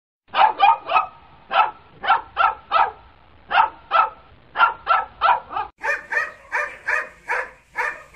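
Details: Dog barking in rapid runs of sharp, bright barks, roughly two to three per second, with short pauses between bursts; the later barks sound higher and harsher, suggesting more than one dog.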